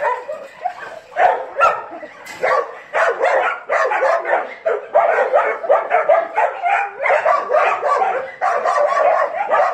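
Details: Several dogs with Hada, giving a dense run of overlapping sharp barks and yips, busy and nearly continuous through the stretch, mid-pitched with little low rumble.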